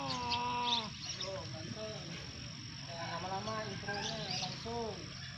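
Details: Domestic cat fighting: drawn-out, wavering yowls with rich harmonics, rising and falling in bursts roughly every second, over steady background hiss and low rumble.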